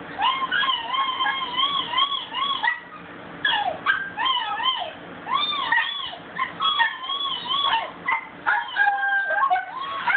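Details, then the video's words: Bella, a pet dog, howling: a run of wavering, arched yowls with rising and falling pitch and bright overtones, broken into uneven bursts with short whimpering breaks between them. "Bella howling"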